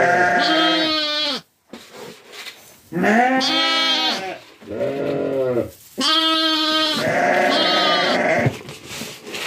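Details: Bleating from a farm flock with young lambs nearby and Kangal dogs kept alongside; long quavering harmonic bleats follow one another closely, some overlapping, with a short silent gap and faint background noise.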